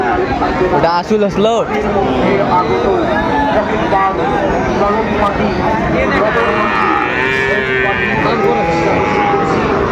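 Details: Sahiwal bull calves at the Raniganj cattle market in Dinajpur on 20 June 2024: a few sustained, even-pitched moos rise out of loud market bustle, men's voices bargaining close by and brief knocks early on.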